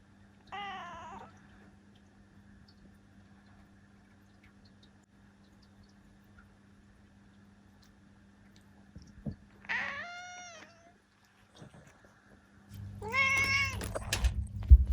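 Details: A seven-year-old female black cat named Ciel meows three times across a long quiet stretch. The short, wavering, harmonic cries are spaced several seconds apart, and the last one is overlaid by loud low rumbling and knocking noise.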